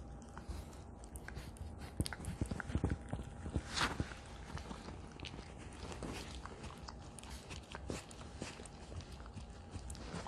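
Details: Ha-Roong, a female Italian Greyhound aged two, crunches her favourite duck neck bone in a small room. Loud, irregular bone-cracking crunches and clicks come in bursts, with a strong crunch about a third of the way in.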